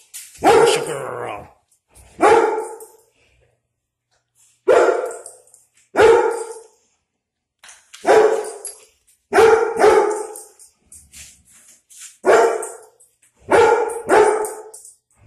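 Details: Two pet dogs, German Shepherd Sasha and Pitbull Kino, barking on seeing a dog outside, Sasha territorial; about ten sharp barks, singly and in quick pairs, spaced irregularly across fifteen seconds, with brief human speech.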